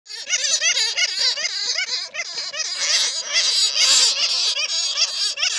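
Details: Bats, original sounds from bats caught in a net, used as a lure to attract more bats; a dense, noisy chorus of shrill squeaks and chattering, with many overlapping wavering, rising-and-falling notes.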